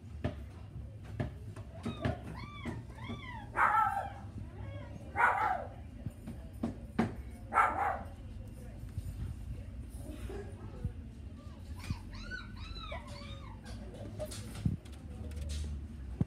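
A Pembroke Welsh Corgi puppy gives high, arching whines mixed with a few short, sharp yelps.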